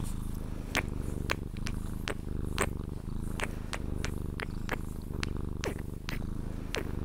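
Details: Being cuddled until asleep, a Sphynx cat purrs in a deep steady rumble, overlaid by many quick smacking kiss-like clicks scattered throughout.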